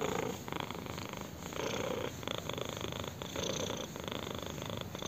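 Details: Purring from a kitten having its chin scratched: a thick, whirring rumble, loud and near, swelling on each breath in a regular rhythm, with no background sounds.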